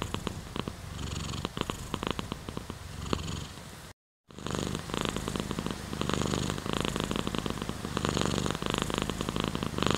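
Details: Cat purring steadily, a low pulsing rumble in rhythmic bursts, cut by a brief total silence around four seconds, then resuming fuller and denser.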